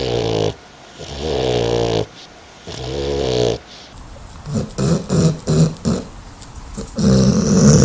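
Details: A sleeping dog snores in deep, rasping, harmonic drones lasting about a second with short gaps, then breaks into a run of quick choppy snorts and puffs, ending in another long low snore.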